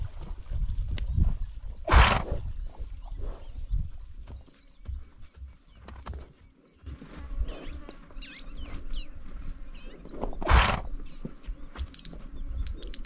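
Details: Grévy's zebra herd at a watering hole in Kenya, sniffing, snorting and spooking around the camera; two loud broadband snorts about eight seconds apart, with hoof scuffs, soft rustling and faint high bird chirps behind.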